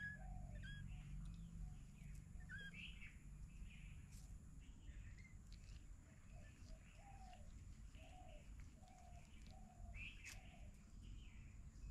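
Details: Three kittens living with their mother cat in the storeroom of a house mew repeatedly: brief high, bent notes, some doubled, at irregular intervals roughly twice a second, with a constant low background drone.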